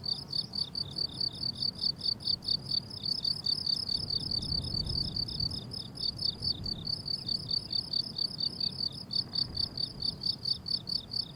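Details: Crickets on a blooming summer meadow, recorded as pure nature sound without music or talking: rapid, regular high chirps pulsing about twice a second, several callers overlapping, with a soft low rumble of background wind.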